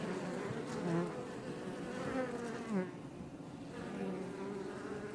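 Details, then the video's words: Many Iberian honey bees (Apis mellifera iberica) buzz together in a steady, droning hum outside a Langstroth hive near Roquetes, South Tarragona, Catalonia, Spain, with a few louder passes up close. "NATURE - Bees Healing Sound Effect HD - Up Close"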